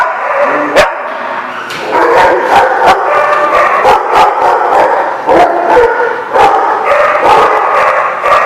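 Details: Chorus of dogs barking, recorded December 18, 2015; rapid, overlapping harsh barks pile up almost continuously, punctuated by louder single barks standing out every second or so.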